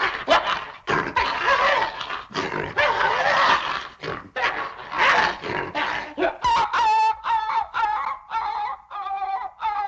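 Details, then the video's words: Excited dog giving loud, harsh, noisy barks that change in the second half to higher, clearer yelping calls, repeated in short bursts with brief gaps. "Exciting dog laut"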